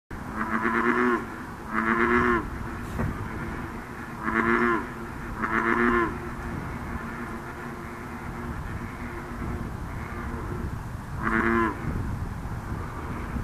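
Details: A chorus of American bullfrogs at Blacks Nook on 9 June 2013 gives deep, resonant, moo-like croaks in short bursts, calling back and forth.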